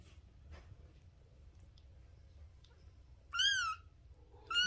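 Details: Bengal kitten, three weeks old, from the fall 2021 litter of Luna and Apollo, mews indoors. After a quiet stretch comes a loud, bright cry that bends up then down, followed by the start of a second mew.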